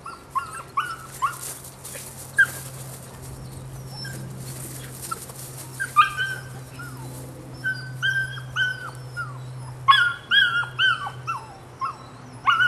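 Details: Rodin/Katana female pup aged 9 weeks whimpering: clusters of thin, high yips and falling whines, a quieter stretch with steady low hum, then a fast flurry of squeaky cries near the end.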